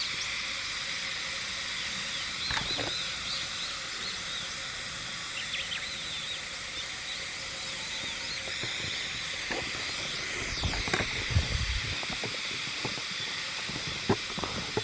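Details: Unseen Hime-harusemi cicadas in Yamaguchi Prefecture, Japan, recorded 19 July 2022, pour out a continuous dense high-pitched hiss of stacked buzzing tones, with occasional thumps and rustles near the end.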